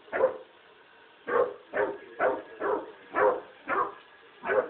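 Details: Frightened Basset Hound puppy, new to its home, barks at a robot vacuum cleaner: seven short, punchy yaps, a single one then a quicker run of six about half a second apart, with quiet gaps between.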